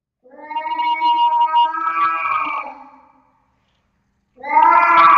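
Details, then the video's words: Two unneutered nine-month-old male house cats fighting indoors in a cat room, caught by a web camera: a long drawn-out harmonic yowl of about three seconds, then silence, then another loud wailing yowl starting. "Our male cats have begun to fight."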